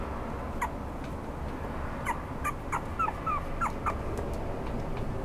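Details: Red-coated Toy Poodle (141112) whining in quick, thin, upward-slurred whimpers, several clustered in the middle seconds, against a constant low room hum.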